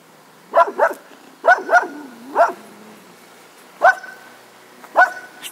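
A Cocker Spaniel gives short, grumpy barks, often in quick doubled pairs.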